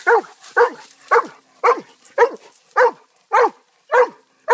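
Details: Nine throaty barks from a family dog, evenly spaced about half a second apart, each a short burst with a slight downward tail.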